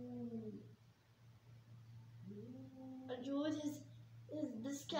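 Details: Angry domestic cats in a fight let out low, sliding yowls that grow into harsh, strained wails, over a steady electrical hum and faint talking.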